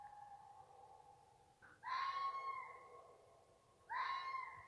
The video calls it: Jackal sound